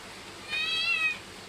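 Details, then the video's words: Pet cat giving a single high, thin meow of under a second, a clear harmonic cry that swells and fades, over quiet room hiss. "পোষা বিড়াল"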